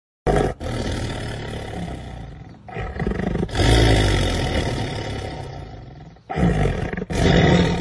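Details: Black panther roaring: long, deep, rasping roars in heavy bursts lasting several seconds each, separated by brief abrupt silences, with strong low rumbling throughout.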